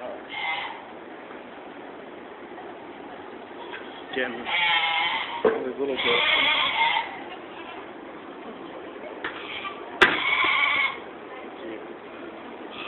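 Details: Goats in the stables at the 2015 Georgetown, Illinois fair, heard while walking past the pens: several loud, quavering bleats, each about a second long, with people talking and the rustle of the barn between them.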